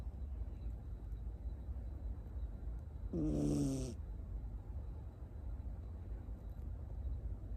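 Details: Miniature Schnauzer puppy Tamago, born 9 October 2021 in Nago, Okinawa and living in Osaka, asleep on a lap; one harsh, breathy snore with layered tones lasting under a second breaks a quiet low background rumble.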